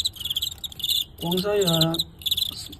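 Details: Crickets fighting a star cricket from Guangxi, filmed live. Trains of quick, high, pulsed chirps come before and after a loud stretch of male Cantonese speech that covers the middle.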